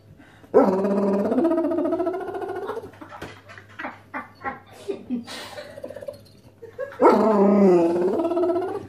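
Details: Basset Hounds indoors hoping for pizza from their owner: a long warbling howl-like moan, a run of short huffs, grunts and clicks, then another wavering moaning cry.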